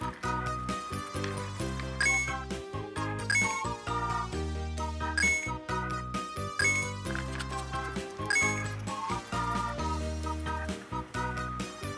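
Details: Bouncy instrumental music with repeated bell-like chimes and a steady bass line plays throughout, with no animal voice.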